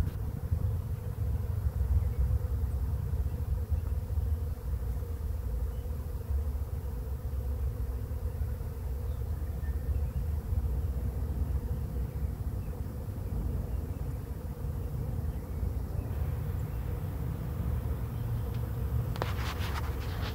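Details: Bee swarm arriving at a swarm trap, the bees going in fast: a dense, steady low droning hum fills the whole stretch, with a faint band higher up and a brief crackle near the end.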